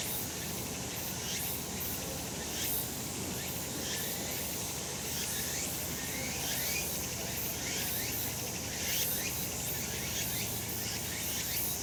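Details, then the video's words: Sunlit summer mountainside full of cicadas: rapid rising buzzy strokes, repeated about once a second by many overlapping insects, layered above a continuous high shimmering drone. "セミの鳴き声 夏の山 日なた"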